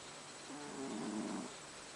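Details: Sleeping pet cat named Haru snoring: one short, raspy, buzzing breath lasting about a second, rising and falling in loudness over a quiet steady background hiss.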